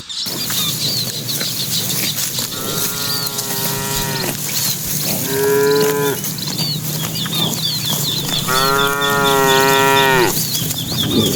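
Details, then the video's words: Dozens of cattle herded into the pen at dusk give three separate moos, long, tonal and slightly falling, spaced a few seconds apart over steady background hiss and busy high bird chirping. "Suara puluhan sapi saat memasuki kandang"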